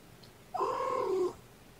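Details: Mother cat with her five kittens, born in the evening of April 14th, napping in a kennel; she comes over to talk to them through the side. A single steady, tonal meow lasting under a second breaks the quiet.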